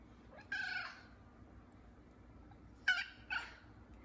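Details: An F2 Savannah cat, one of three, calls during the morning routine with a drawn-out, harmonic, wavering meow. After a pause come two quick, clipped, slightly chirping meows over a low steady hum.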